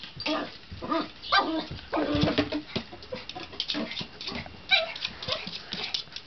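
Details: Seven-pound male poodle playing with his favorite jolly ball indoors, maneuvering it past a coffee table; brief excited yips and whiny bursts come amid rolling and bumping noises.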